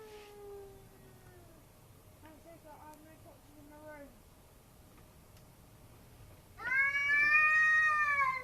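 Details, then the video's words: A cat crying at night, as it does every night: a faint, drawn-out falling wail and a few short broken cries, then a loud, bright, sustained yowl in the final two seconds, with faint talk in the background. "Crazy cat randomly making noises"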